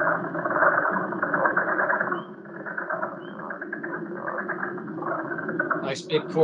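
A dense leopard frog chorus of chuckling croaks and squeaky, balloon-rubbing grunts.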